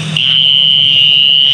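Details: A mole cricket sings a steady, high, unbroken buzzing trill at one pitch, in a ravine valley at Bukit Bego near the Banyusumurup tomb complex.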